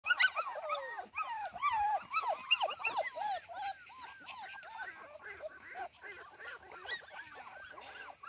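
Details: Cardigan Welsh Corgi puppies out in the garden alone without their mother, giving a dense chorus of high, wavering whines and squeaky yelps that overlap continuously, several pups calling at once.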